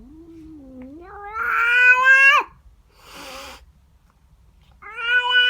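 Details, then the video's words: Female house cat yowling at a neighbour cat that has come into her garden in the morning: a long rising howl that swells loud and strained, a brief hissing breath, then another loud yowl starting. "Cat doesn't like the neighbour cat. FUNNY WEIRD CAT NOISES!!"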